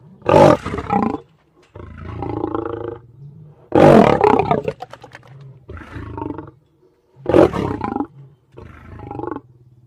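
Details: Lion giving three loud, harsh roaring bursts about every three and a half seconds, each followed by a quieter, rougher rumbling growl, with short silent gaps between.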